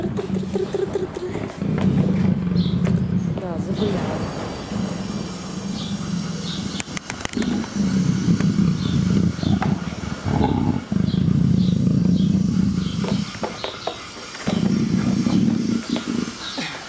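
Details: Tame captive female leopard, in heat and affectionate with keepers, purring during petting: repeated stretches of deep throbbing rumble broken by short pauses, with a woman's cooing Russian speech and handling noises.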